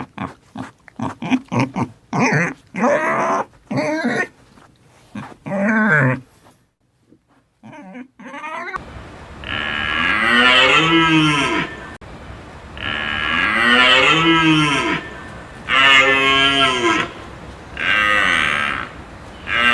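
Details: Farm cow lowing: after a stretch of short choppy sounds, long drawn-out moos follow each other with brief pauses between, each deep and bending downward at the end.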